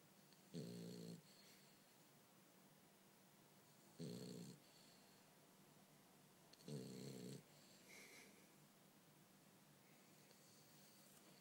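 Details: Sleeping French Bulldog Bumble B gives three raspy, buzzing snores spaced a few seconds apart, a faint wheezy breath following the last one, otherwise a still indoor room.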